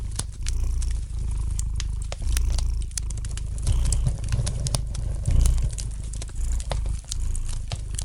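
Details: Gentle purring of a domestic cat by a fireplace, a soft low drone pulsing with each breath, accompanied by dense crackling and popping of the fire.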